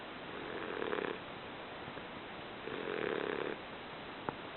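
An English Bulldog snores in slow, rasping bursts, each breath drawn out for about a second.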